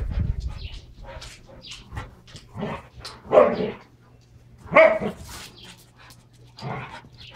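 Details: Two Standard Poodles wrestling hard during play with toys: rough growls and short bark-like bursts, two louder peaks near the middle, with breathy snorts and scuffling between them.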